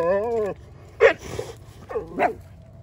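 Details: German Shepherd Odin and small dog Bella ganging up on Samson the Boxer; a drawn-out whining growl opens, followed by two short sharp barks about a second apart.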